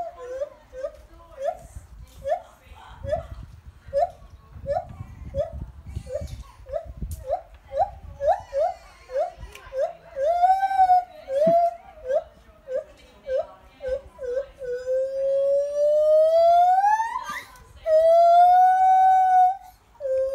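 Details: Lar gibbons on the Isle of Wight sing a run of short, repeated hoots that speed up and then rise into long, wavering whoops, turning very high-pitched at the end.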